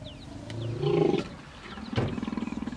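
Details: Hippopotamus in Kruger National Park, South Africa, at the Vurhami River, a female defending her young against an approaching male; brief deep roaring grunt, a louder honk, then a pulsing low rumble.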